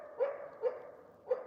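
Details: Coyote (Canis latrans), bark.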